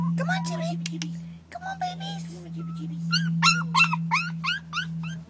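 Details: Four-week-old puppies letting out quick, high, arched whines and squeaks, repeated several times a second in the later half, while a woman talks soothingly to them over a steady electrical hum.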